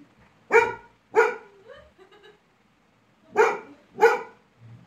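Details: Angry pet Labrador Retriever, annoyed by a small toy, gives two loud barks, a short whine, then two more barks after a pause; faint music in the background.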